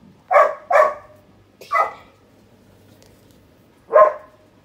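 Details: Rescued, formerly abandoned puppy barking indoors: two quick yappy barks, a third after a short pause, then a last single bark after a longer gap, against a quiet room.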